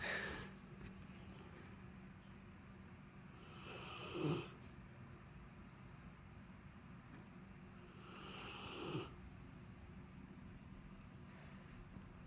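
A Rottweiler snores in slow, rasping breaths, one every four to five seconds.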